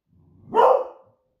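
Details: Indoor pet female Beagle, Smudge, raising the alarm before her owner gets home from surfing; a soft rumble swells into one loud, full bark that tails off.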